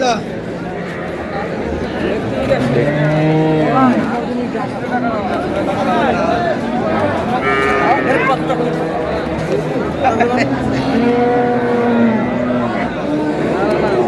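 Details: Cows with calves, Sahiwal breed, at Ambari market in Dinajpur, Bangladesh, on market day, a Friday: several low drawn-out moos with rising and falling tones, repeated through a noisy crowd of talking people.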